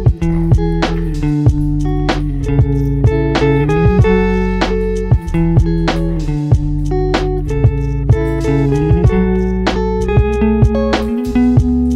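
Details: Loud plucked guitar and keyboard music with a steady bass line plays throughout, and no animal sounds are heard.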